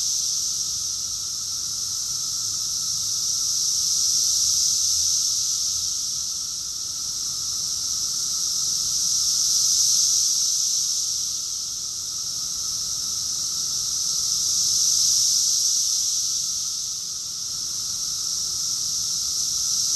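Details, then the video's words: Summer chorus of cicadas recorded in Rockville, Maryland, USA, in June 2021: a dense, continuous high-pitched shrill drone that swells and fades roughly every five seconds, with a faint steady lower hum beneath. "Cicadas song || Cicada's chorus song"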